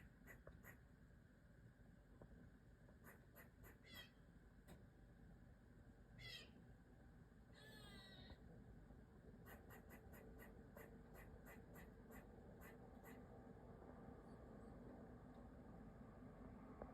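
A black squirrel scolds with sharp, clicking chucks in irregular bursts, plus a few drawn-out nasal squeals.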